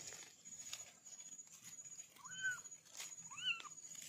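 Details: A kitten in a family of four makes two short, bending mews about a second apart after a stretch of faint rustling and clicks. A constant high tone and background hiss persist throughout.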